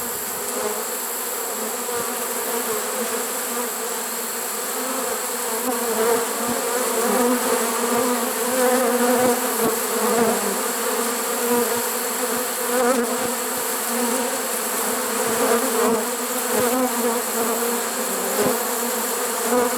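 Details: Honey bee swarm caught in a swarm trap on September 1, 2019, unusually late in the season: a dense, steady droning hum with low layered tones that swells slightly midway and holds without pause.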